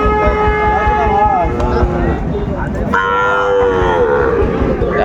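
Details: Sahiwal bull calf at Ambari cattle market, with drawn-out, harmonic lowing calls that rise and fall twice, each over a second long, over steady crowd noise and market chatter.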